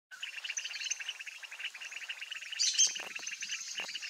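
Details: Mueller's termite frogs calling in a pond during the breeding season, with a pair laying eggs: a dense, steady chorus of rapid pulsed, buzzy trills at mid-high pitch, overlapping without pause, with a few brief sharp knocks near the end.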